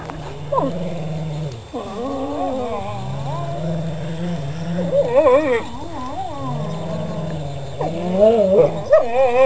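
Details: Dogs at play giving low, wavering, moaning growls that rise and fall in pitch, in long drawn-out phrases with brief pauses, and a sharper yelp near the start.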